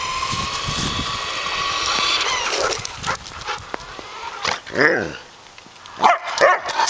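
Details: Suka, a pet Samoyed, chases a remote-controlled car for exercise. A steady high motor whine dominates the first seconds, then sharp arching barks and yips burst out near the end.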